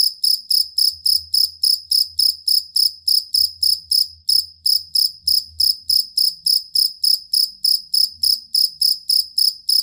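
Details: Fighting cricket (jangkrik kalung) used as a tutor sound for songbirds, giving a long, stable series of shrill pulsed chirps at roughly three per second, with a soft low hum underneath.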